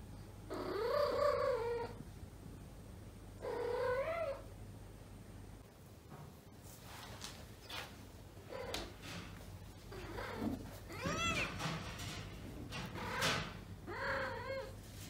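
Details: Domestic cat in heat, a weak un-neutered female indoors seeking a mate among neutered housemates, yowling in long wavering cries early on, then a run of shorter rising and falling wails and chirping calls, some overlapping, over a low steady hum.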